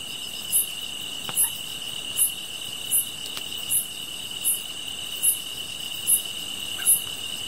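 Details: High insect chirps spaced about every 0.8 seconds over a constant thin trill, with a couple of faint crackles and a soft brief squeak.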